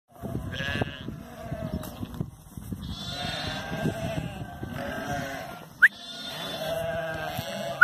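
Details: Flock of sheep being worked by the border collies Zara, Memphis and Bluky, bleating in overlapping wavering harmonic cries that swell in the second half, while a herder shouts commands to the dogs.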